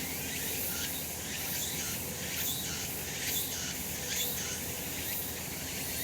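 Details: Sunny summer mountain where cicadas drone: a bright, hissing high chorus swells roughly once a second. Faint brief chirps sit on top, and a low rumble lies underneath.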